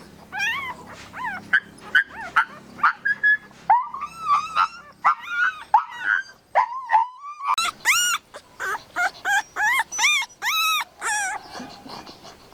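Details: Puppy whimpering in long runs of pitched squeals that start wavering and sustained, then turn to rapid, sharper yelps and high cries toward the end.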